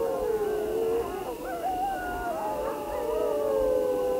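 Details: Chorus of grey wolves with several long overlapping howls, one steady lower tone beneath higher wavering voices that rise and break, over a constant faint hum.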